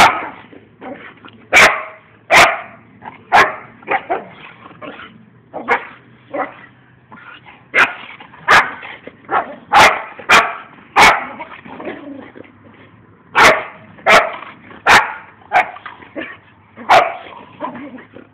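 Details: Two dogs roughhousing outdoors in play, not actually fighting; a steady stream of snarling growls broken by frequent sharp barks and snaps, bursts roughly every second, faint steady hum underneath.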